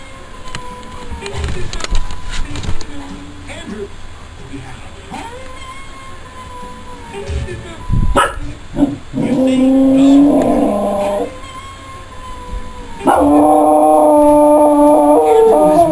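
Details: A female German Shepherd/Chow mix, about 4 years old, howls at the TV in long, wavering tones that slide up and down, mixed with television music and speech.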